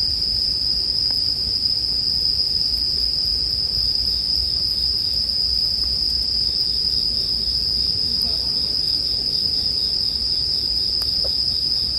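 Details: Unvarying high ringing from bell crickets fills the whole stretch, laid over a gently crackling campfire meant for sleep; scattered small pops of burning wood and a low soft rumble.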